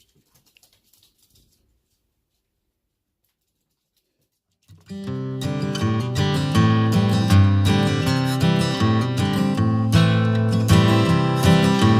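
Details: Near silence with a few soft clicks opens the segment, then strummed acoustic guitar music starts just before five seconds and continues to the end, with no animal sounds.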